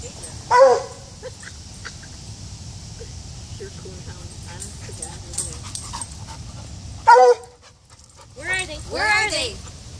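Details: Coonhound named Hunter following a pig's scent trail, undistracted. Two short, sharp yelping bays near the start and at seven seconds, then a wavering, drawn-out cry near the end; quiet background with faint human voices.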